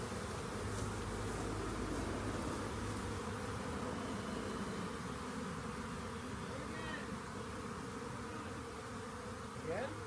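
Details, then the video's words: Honey bees swarming, discovered while checking a rain gauge before being collected; constant buzzing drone throughout, with a faint steady low hum underneath and brief higher squeaks near the end. "Lets Get A Swarm Of Honey Bee's"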